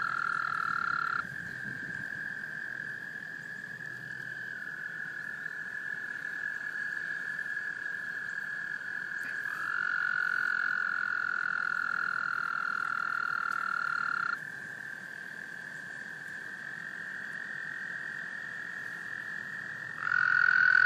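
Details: Several male American toads trilling to attract females in a small pond in Laurens County, South Carolina, USA, in March 2014 during breeding; long, steady, high trills overlap and hand off between callers at slightly different pitches throughout.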